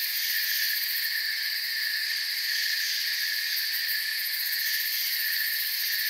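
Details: Crickets keep up a constant high, buzzy chirping in the forest, layered bands of sound holding level from start to finish without any other noises.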